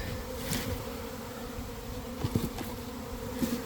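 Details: Swarming honey bees at a hive entrance in early afternoon after cold, damp days, recorded from inside the developing swarm; a continuous low droning hum of many bees with occasional nearer fly-bys.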